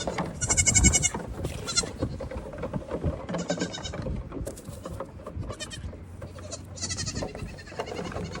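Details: Goat kids from a herd of 32, running wild at evening feeding time while the mothers have their grain; repeated high, quavering bleats in quick bursts from several kids, overlapping, over scuffling hooves and rustling.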